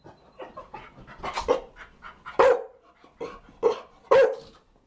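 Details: Chow Chow barking amid a jumble of softer yelps and huffs, with several strong barks about half a second to a second apart.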